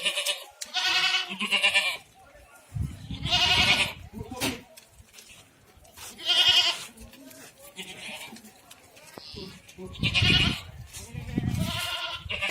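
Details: Goats bleating at a goat farm in Ajmer, Rajasthan: loud quavering nasal cries in bursts every two to three seconds, mixed with human speech and scattered knocks and rustling.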